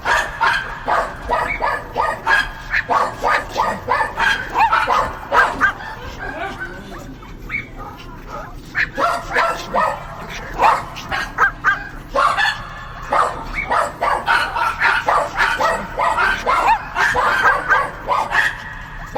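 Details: Long run of dogs yapping in fast, choppy bursts; the barking eases briefly around the middle, then returns dense and repeated to the end.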